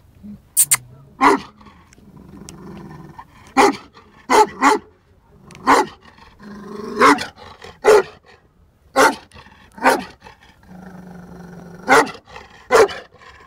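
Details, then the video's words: Bully Kutta male, 11 months and 19 days old, barking in deep, forceful bursts roughly every second or two, with low whining or growling sounds in the gaps. "Bully Kutta Male"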